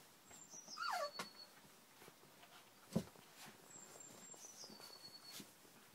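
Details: Three-week-old puppies that have just had their first taste of food; one short, high whimper slides downward near the first second, while a thin, high, falling whistle repeats in the background and a single sharp click sounds midway.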